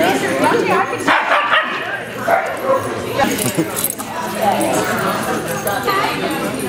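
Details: Italian Greyhounds at a Sunday morning playdate hosted by Italian Greyhound Rescue of Denver at Mantayo Kennels, Denver, Colorado, January 26, 2014: sharp barks and yips from several playing dogs, with people talking loudly throughout.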